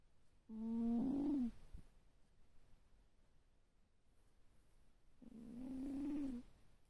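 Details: Sleeping cat snoring: two tonal, whistling breaths of about a second each, separated by roughly four seconds of quiet.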